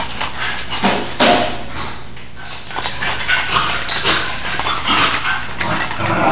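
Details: Pair of nine-month-old Basenji sisters playing hard inside the house during rainy weather; intermittent growls and yelps with scuffling and knocks, fading to quieter moments, before a woman speaks.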